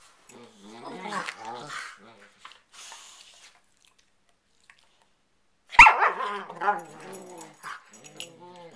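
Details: Two pet dogs playfighting on a bed at night just before sleep, in a growling, snarling, whining exchange: wavering whines and rough growls in two bursts separated by a quiet gap, with a sharp thump mid-clip.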